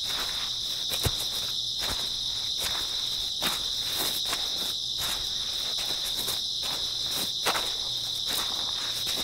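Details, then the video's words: Early autumn night chorus of grass insects, a continuous high ringing buzz that holds level throughout, with scattered soft tapping sounds and one sharper knock. "풀벌레 소리"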